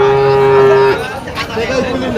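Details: Friesian bull at a cattle market gives a level, sustained low moo of about one second that ends abruptly, followed by a man's voice and background market noise.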